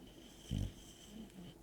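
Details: Bulldog Barbie asleep and twitching indoors, giving one short, low, rasping snore burst lasting about a quarter second, followed by faint quieter breathing.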